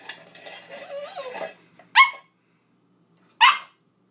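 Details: Female husky/poodle mix puppy, eight weeks old, playing with her dish: a soft wavering whine at first, then two short sharp high barks about one and a half seconds apart, followed by silence.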